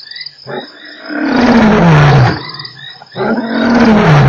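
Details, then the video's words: Lion roaring at Nkorho on 3 March: two deep, drawn-out moaning roars, each sliding downward in pitch, separated by a brief pause, over a steady background chorus of high-pitched frogs or insects. "lion roars"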